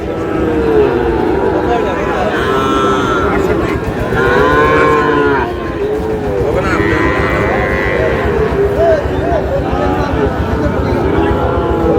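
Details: Ten-month-old Sahiwal bull calf at a Cox's Bazar cattle market in Bangladesh, several moaning moos with arching pitch overlapping steady crowd murmur, bargaining voices and background traffic.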